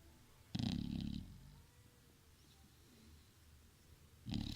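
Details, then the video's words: Sleeping bulldog snoring: two short, low, buzzy rattling breaths with a breathy hiss, one near the start and one at the end, separated by a quiet pause with faint room noise. "Bulldog roncando"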